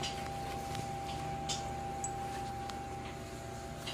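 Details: Indoor room tone with a constant electronic whine and a few faint ticks and rustles, no cat or other animal heard.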